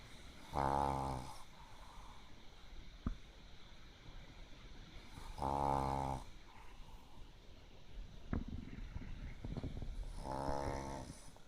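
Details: A Pekingese dog sleeps deeply, worn out after playing too much at a dog run during the day, snoring like a frog: three loud, buzzy, harmonic snores about five seconds apart, with faint clicks and quiet breathing between them.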